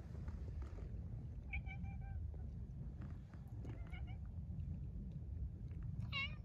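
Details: Hungry cat gives short, thin meows, a wavering one, then a pair of brief cries, and a sharp rising meow at the end, over a low rumbling background.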